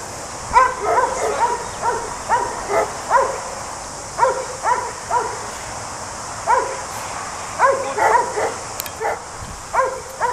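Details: Working Border Collie in New Zealand barking while herding sheep: clear, high, ringing barks in rapid clusters of two to four, repeated through the whole recording with short pauses, steady hiss behind.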